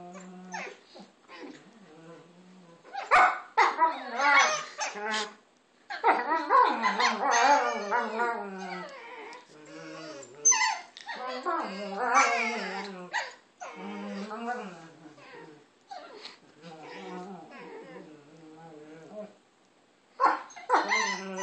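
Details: Pet dogs Maya and Izzy trade silly warbling moans and whines during play. The wavering, talkative calls come in bursts, mixed with sharp yips and a few quiet gaps.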